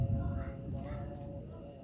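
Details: High cricket chirps come in short repeated bursts, breaking off briefly midway, over dense low background noise on a village evening as night approaches.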